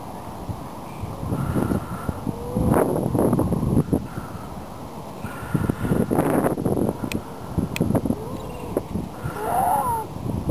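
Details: Hundreds of seals with pups on the shore at Donna Nook Nature Reserve, Lincolnshire, in November. Mournful wails and rougher, broken cries rise and fall across the colony, ending in a wavering higher call, over constant wind-like rumble.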